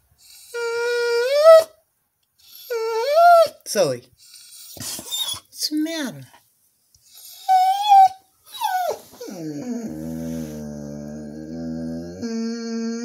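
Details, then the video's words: Female Border Collie vocalizing without known cause: short rising whining howls separated by pauses, a few sharp yelps, then a long steady low moan, with a human voice heard at times. "the border collie sings the melan"collie" song of her people"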